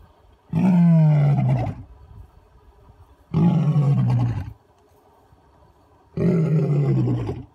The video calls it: Awesome Lion Roar